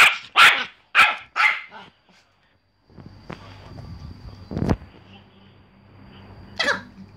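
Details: Four quick high-pitched barks from a Pomeranian open the recording, then quiet background hum, a woman speaking, a thud and one more distant bark near the end.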